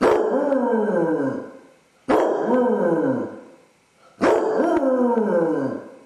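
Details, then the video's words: Dodger, a basset hound left alone in the house with separation anxiety, filmed by a home camera; three loud bay-howls about two seconds apart, each starting with a sharp burst then sliding downward in pitch and fading. "Basset hound suffers separation anxiety! Dog howling"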